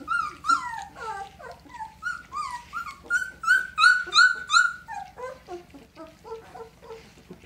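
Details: Red Standard Poodle pups, two weeks old, from a litter born April 10, 2018, give high whining squeals in quick succession, several overlapping voices rising and falling, with a louder burst of piercing cries in the middle.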